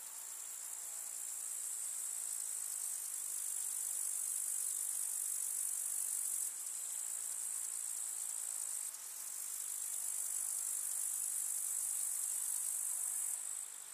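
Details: Summer meadow grasshoppers in the countryside among wildflowers: an unbroken, very high, hissing chirr, a layered insect chorus that swells and dips in loudness with sudden breaks around the middle.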